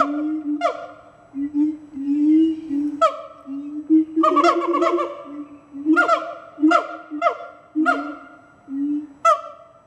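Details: Several siamang gibbons at Fota Wildlife Park announce their presence with loud, honking calls over a steady droning tone, with sharp barks breaking in repeatedly; their calls can carry up to 2 miles.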